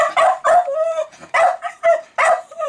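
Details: Milo, a pet Jack Russell Terrier, goes crazy over fermenting beer, perhaps its bubbles or released CO2. Five sharp, high yapping barks come in quick uneven bursts, some with a short whine trailing off between them.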